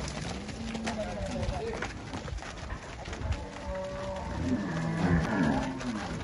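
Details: Angus cattle for sale on a farm in Palmeira dos Índios, Alagoas, Brazil, give low drawn-out moos, several overlapping, with a man talking and background rustle.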